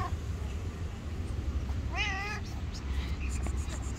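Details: Black street-dwelling stray cat with gorgeous fur utters one clear, slightly wavering meow lasting under half a second, against constant low traffic rumble and faint background noise.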